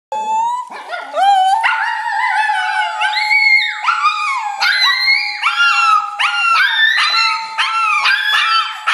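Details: Two Shih Tzus howling with a Papillon, excited as their owner arrives home from work; loud layered howls rise and fall in overlapping wavering tones, one voice holding a steady high note beneath repeated sliding yowls.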